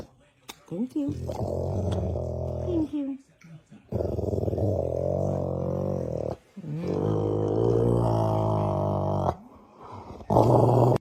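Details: A dog snoring in its sleep: drawn-out, buzzing, low breaths of two to three seconds, repeating in a slow cycle with brief pauses and a sharper snort near the end.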